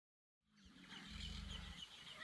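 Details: Caiman bellowing in the Pantanal, a call used to attract mates and claim territory: a deep, throbbing low rumble of about half a second rises out of quiet, while bird chirps and twitters sound higher above.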